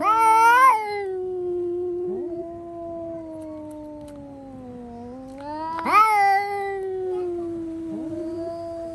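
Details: House cat shrieking at a cat seen outside, heard indoors: a loud sharp rising cry opens into a sustained, wavering howl lasting several seconds, then another piercing upward surge and a long trailing wail.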